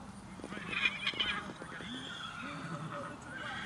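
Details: Tennessee Walking Horses being unloaded for the Free Rein Stables annual trail ride in Tom, Oklahoma; a loud, quavering whinny with rapid pulses over the first second and a half, with people talking and hooves clattering.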